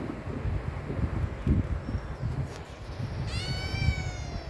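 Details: Himalayan cat urging for food: low indoor rumble and handling noise for several seconds, then a single short harmonic meow near the end that rises and gently falls.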